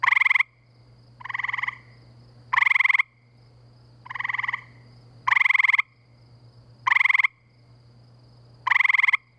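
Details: Gray treefrogs calling at night in spring by a pool near woods and wetlands in Framingham, Massachusetts: short, musical trills, one after another, roughly every second or two.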